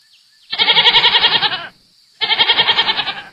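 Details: Two long, wavering goat bleats with a rapid quaver, the first over a second long, then a brief gap before the second; a thin steady hiss sits underneath.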